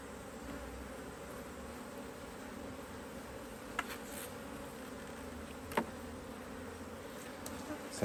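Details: Honey bees humming around an opened Hive IQ hive in Australia, autumn 2023; an even, low background drone with a few faint clicks and knocks from handling the hive.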